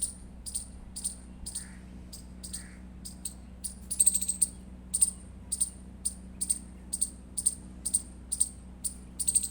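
An Indian palm squirrel chirps in a steady series of shrill, clipped notes, roughly two each second, growing slightly louder midway. A faint low-pitched hum runs underneath throughout.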